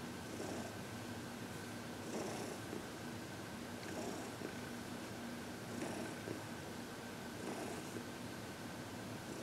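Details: Happy 14-year-old shelter-adopted cat Heidi being given massage and reiki, February 2021; gentle purring in regular breathy cycles near two seconds apart, low and hushed, beneath a steady room hum.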